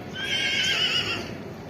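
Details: Arabian horse ridden in the morning, giving a high whinny: a wavering, quavering band that rises and trembles for about a second, then fades, with faint background noise.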